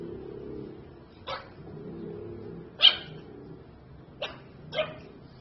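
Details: Pug at play, giving four short, sharp barks spaced irregularly over about five seconds, each a brief broadband burst above a low rumbling background.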